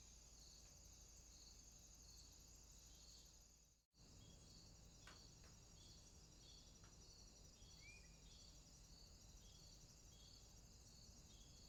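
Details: A nighttime swamp chorus of crickets: continuous high trilling with regular pulsed chirps, broken once by a brief silent gap. A single short chirp of another kind stands out later over the low background hum.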